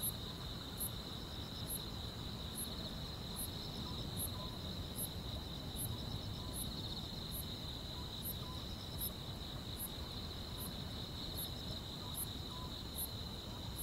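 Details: Grass insects singing on a still rural summer night: a crisp very high chirp sounds at regular intervals just under a second apart, over a continuous softer high trill and low ambient rumble.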